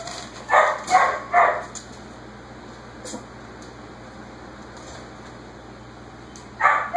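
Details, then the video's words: Whippet barking in the background to signal it has finished dinner, while six-week-old Basenji puppies play: three quick, sharp barks in a row, quiet for about five seconds, then another bark. "The barking in the background is the whippet Jaxson letting me know that he is finished with dinner."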